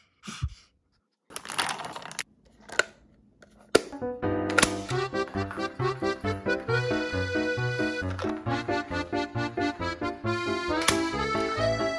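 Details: A few clicks and knocks open the recording indoors, then bouncy instrumental music with a steady beat takes over; no animal sounds are heard.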